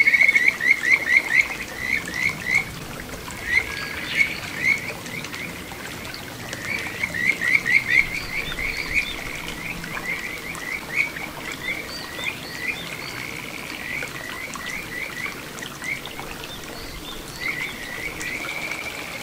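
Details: Kajika frog singing in a small satoyama stream at Ichihara, Chiba, Japan, 9 June 2022: bursts of quick, high, bird-like chirped notes, rising and repeated in runs of four to eight, with short pauses between runs.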